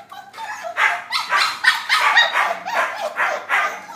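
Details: Several puppies trading short, hoarse yips and barks, each burst close on the last, steady and fairly loud throughout.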